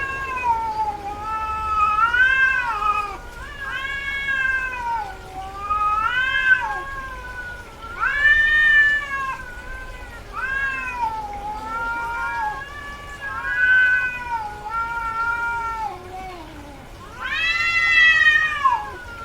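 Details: In heat, a female cat keeps up a long run of wailing meows, some rising and falling, some wavering, closely spaced with low moaning in between, ending on a loud arched howl; faint hum throughout.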